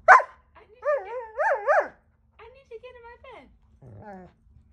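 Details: Giant Schnauzer mix dog being bratty while lying on its owner's pillow, giving a sharp bark then wavering, yodelling grumbles that rise and fall, followed by quieter moaning vocalisations indoors.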